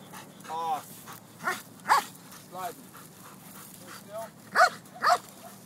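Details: Malinois dog giving short, harmonic barks and yelps at irregular intervals, several in quick pairs, while a man speaks and calls commands over it.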